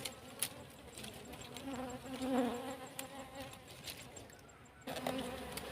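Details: Honey bees on a farm, near a cassava field, while their wild comb is taken for beeswax. A steady low buzzing hum with layered tones rises to its loudest near the middle, then fades and returns, with scattered clicks and rustling.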